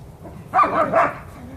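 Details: Two-part yelping bark, rising then dipping, from one of two dogs, a German Shepherd and a Belgian Malinois, during a chasing game in a yard. A person's urging voice is heard nearby.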